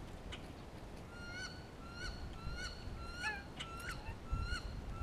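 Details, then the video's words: Grey squirrel in spring, calling to another squirrel and responding to a hawk close by; a series of nasal, harmonic calls, each rising slightly, repeated about every half second over five seconds, with faint background noise. "Grey squirrel vocalizations"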